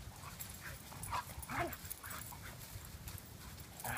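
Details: In woods near Louisville, Kentucky, young Gaby and six-year-old Count, both Standard Poodles, tussle in a clearing, filmed by an iPhone in a pocket; snarling, gravelly growls rise and fall in uneven bursts amid scuffling noise.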